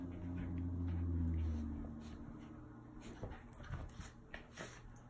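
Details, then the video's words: Rat Terrier Bella indoors at play time with her cousin; a low, steady rumbling growl holds for about one and a half seconds, then fades into soft scuffling and faint panting sounds. "Rat Terrier | Bella with her cousin."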